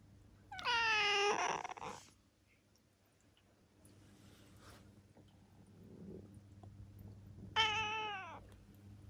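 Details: Indoor meows from Ciel, a seven-year-old female black cat in Japan: a long wavering meow at the start, then a soft rustle, and a shorter falling meow near the end.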